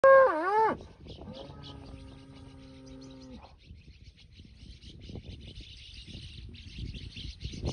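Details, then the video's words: Aberdeen-Angus bulls being fattened give a loud, short bellowing moo that bends down then up, followed by a long, steady, flat-toned moo lasting about two seconds; faint chirping in the background. "Bulls, Aberdeen-Angus. Bulls on fattening."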